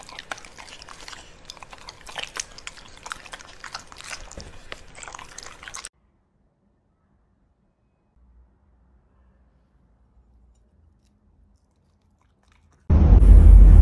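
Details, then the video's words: Pembroke Welsh Corgi eating food, with quick crunching and clicking chews for about six seconds, then near silence, ending in a loud burst of noise. "Cutest Corgi Eating Food"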